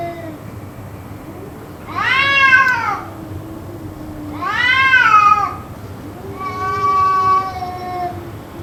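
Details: Cats calling, apparently in a quarrel, as part of an outburst lasting around two hours: three loud, arched yowls of about a second each, separated by low droning growls, the last cry flatter and steadier in pitch.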